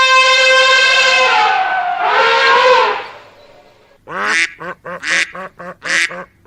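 A horse neighs: a long, high, brassy squeal followed by a shaky series of quick falling pulses.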